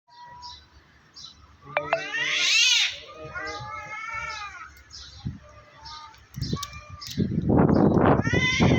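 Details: Two cats fighting on top of a tree, threatening each other with loud meowing: long wavering yowls that rise and fall, several in sequence, ending in a louder, harsher burst, with human voices faintly in the background.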